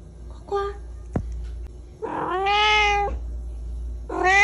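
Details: Little black pet cat meowing loudly indoors: a short meow, a sharp click, then a long, strained meow held about a second, and another meow starting at the end, over a low hum.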